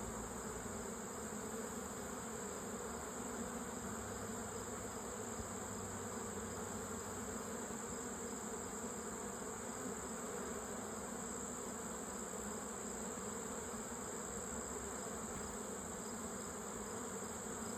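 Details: Honey bees at a hive in mid September, a steady, unbroken droning buzz running the whole time with an even high hiss above it.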